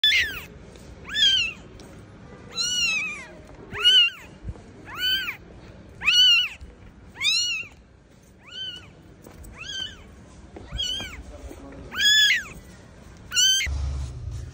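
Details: Newborn kitten left alone by its mother, crying with loud, high arched meows, each rising then falling, repeated about every second or so across the recording, with quiet gaps between calls.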